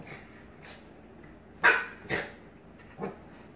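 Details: Blue Pit Bully puppy "dominating" an adult Staffordshire Pitbull Terrier: one loud, sharp bark, a second slightly weaker bark half a second later, and a softer short yip near the end.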